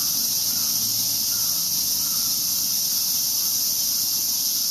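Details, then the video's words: In Ueno Park, Tokyo, cicadas that are out for another year produce a relentless, even, high electric-sounding buzz with almost nothing else audible. "DAMN CICADAS!! SHUT UP!!"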